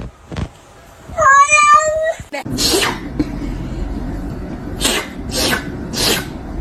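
A kitten gives one clear, high, wavering meow, followed by a person talking and rustling handling noises.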